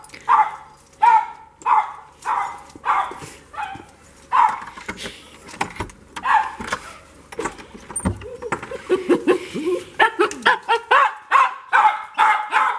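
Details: Dog excitedly greeting its owner coming home: a run of sharp, harmonic yelping barks repeated roughly every half second to second, growing faster and more crowded toward the end, over faint background noise.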